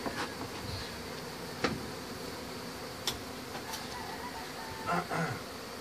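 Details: A honey bee colony disturbed during hive removal gives off an unbroken, even drone, with a few sharp taps and scrapes from work on the comb.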